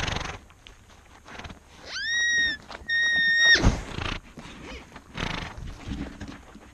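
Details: Antelope calling twice in quick succession, each call a short, steady, clear tonal cry under a second long, separated by a brief pause, with some rustling and outdoor noise around.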